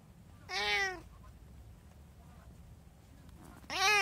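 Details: Indoor domestic cat, one of three in a household with a tabby, an Abyssinian and a short-legged Munchkin, recorded 24 January 2024, gives two clear harmonic meows, the first arching and falling, the second rising, about three seconds apart, in a quiet room.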